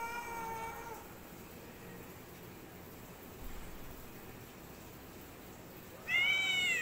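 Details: Black cat and white cat in a standoff; a short yowl opens, a long quiet stretch follows, then a sudden loud high-pitched yowl at the end.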